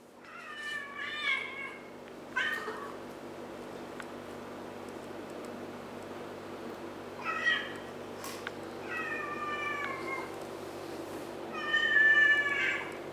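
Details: Kittens eating fish and play fighting give a series of short, harmonic-rich meows: about five separate calls spread over thirteen seconds, some paired in quick succession, over a steady low indoor hum.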